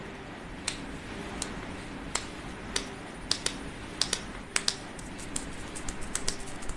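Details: Sharp, irregular tapping clicks like keyboard typing sound in a small quiet room over low background hiss, with no animal calls.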